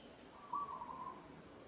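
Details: In Kampong Cham Province, Cambodia, the monkey Moka calls while struggling against rough handling by the monkey Sada. A single clear, slightly quavering tonal cry of about half a second rises out of low ambient noise.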